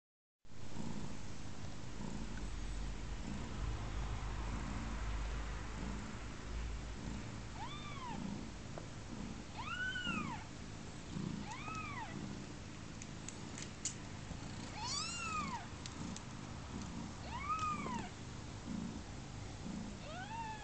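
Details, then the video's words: Newborn kittens about thirty hours old, on their second day of life; thin arched mews rise and fall every second or two over a steady low rumble of purring or handling noise. "Gatitos de Pluma +30horas de vida"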